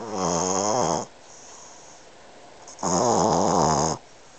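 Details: Sleeping eight-month-old Boston Terrier named Pete snores loudly, two long rattling, wavering breaths about a second each, separated by quiet pauses in a small room.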